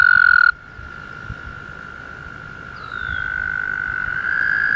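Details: Early May mating season frogs in a pond near Woodstock, New York; a loud trill cuts off, a quieter steady trill continues, then a louder trill rises in and holds to the end.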